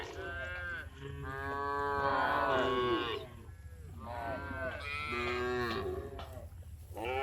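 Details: Afternoon herding of tame village cows returning to their barn: long, rich harmonic moos that rise and then fall, roughly one call every three seconds, over a constant low background drone.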